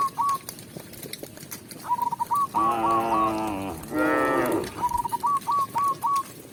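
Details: Tame village cow mooing while a shepherd leads it back to the pen: two long, rich, harmonic moos of about a second each, the second rising then falling, framed by bursts of short, sharp, repeated whistled notes before and after.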